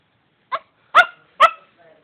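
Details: A Shih Tzu barking at nothing gives three sharp, high barks in quick succession, followed by a soft whine.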